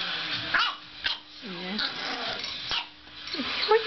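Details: An 8-week-old English bulldog puppy plays with a Boston terrier; a dog gives a few short, sharp barks during play, with a person speaking in between.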